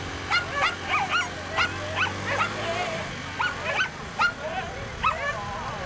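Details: Whippet bitches at a 2019 race during the second run: sharp, rising yelps and short whining cries, a few per second and in irregular bursts, over a low background hum.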